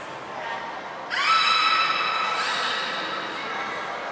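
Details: Beluga during training with Gray, Nana and Nico at Port of Nagoya Public Aquarium, 14 October 2019; one loud, steady, horse-like harmonic whistle with a brief upward start, held about two seconds, echoing indoors.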